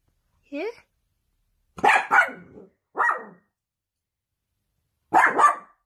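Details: Dachshund, sausage dog puppy, barking at home: a short rising whine, then a double bark, a single bark and another double bark, sharp and loud against quiet gaps.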